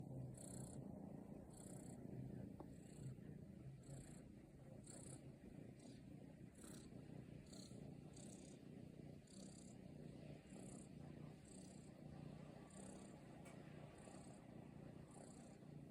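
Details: Short-legged Munchkin cat kneading in the air, giving a low, steady purr throughout, with faint soft ticks repeating about once a second above it.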